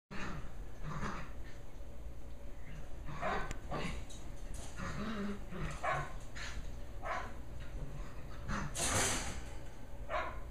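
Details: Two 11.5-week-old Shetland Sheepdog puppies, Holly and Pearl, wrestling and running around on their last evening together; short gruff barks and growly yips scattered through, over a steady low hum.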